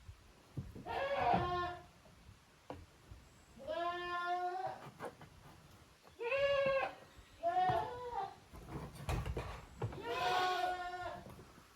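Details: Young goats from two families, Koharu's kids and Okayu's kids, playing in an exercise yard at a handmade goat farm in Japan on 13 June 2023; five bleats, quavering and harmonic-rich, some in quick pairs, with rustling and thuds between.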